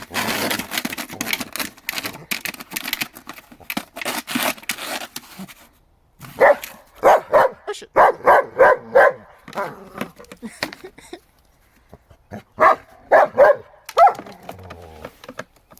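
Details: A German Shepherd called Bear going after a chair in the snow: scuffling and rustling noise at first, then bursts of rapid, punchy barks in quick runs, a pause, and a final cluster of barks.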